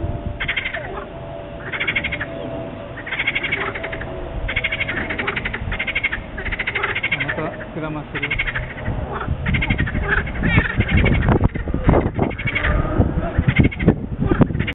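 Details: Small frogs calling at a wetland centre: harsh pulsed croaks come steadily for about eight seconds, then grow irregular beneath loud knocking and handling noise.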